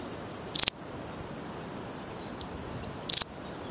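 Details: A Balearic saddle bush-cricket (Parasteropleurus balearicus), a large 4–5 cm bush cricket endemic to the Balearic Islands, gives short, rasping bursts of four quick pulses, spaced a few seconds apart.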